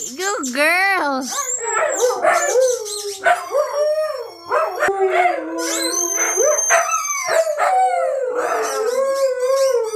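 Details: Pet Siberian Huskies howl, set off by a squeaky toy: several wavering, rising and falling howls overlap, with high thin squeaky-toy tones in the middle and a person's voice mixed in.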